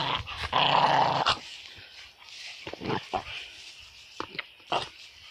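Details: Excited dogs going crazy give a loud, rough, noisy growl lasting about a second, then a series of short, irregular huffing bursts. Nobody talks in the background.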